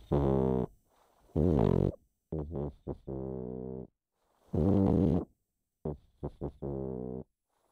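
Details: Chip the pug asleep and snoring: deep, buzzing, vibrating breaths alternate with short choppy snorts, the cycle coming about every three seconds in a quiet room.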